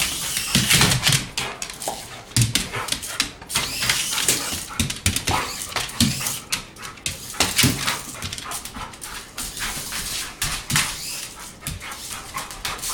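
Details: Dog going wild over a remote-control toy car, with a dense run of short yelps, barks and whines over nearly thirteen seconds, plus scuffling and the toy car's buzz.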